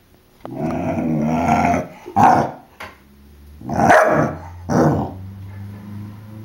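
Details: Jack the four-month-old puppy, upset by a balloon: low rumbling growls broken by several short barks, irregularly spaced, ending in a softer steady growl.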